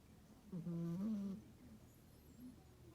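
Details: Rescued female cat snoring while sleeping in a pile with other cats indoors: one drawn-out, droning snore lasting about a second, low and buzzy with a slight rise in the middle, then quiet breathing.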